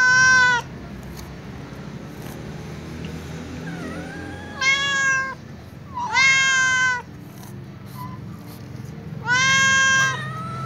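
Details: Walking calico cat asking for food alongside other cats, giving four loud, drawn-out harmonic meows spaced a few seconds apart, with softer faint mews between them and a low hum underneath.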